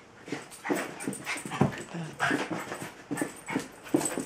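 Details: Female Jack Russell Tinkerbell seeks attention and play from Bilbo, a Welsh Terrier. Rapid, insistent yaps and barks repeat about twice a second, mixed with whiny, rising whimpers.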